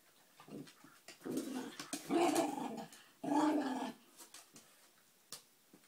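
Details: Puppy talking to his treat indoors: two drawn-out, moaning growl-whines in the middle, with softer grumbles and clicks around them, while a man coaxes him to eat it.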